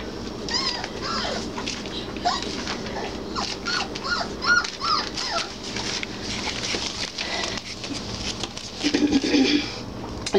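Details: Three-week-old Basset Hound puppies from a litter, playing and finding their voices: a run of short, high whimpers and yips, each bending up then down, repeated several times a second, with soft background music and rustling.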